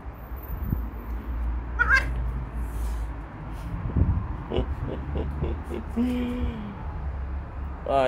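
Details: Domestic cats at home on 14 July 2024: a brief chirpy mew, then a longer level meow near the end followed by another rising call, over a steady low hum with a person speaking.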